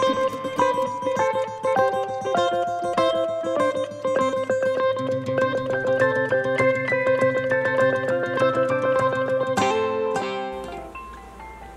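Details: Bright plucked string melody, mandolin-like, over a low drone, fading near the end with a short shimmering flourish; no buzzing or other animal sound.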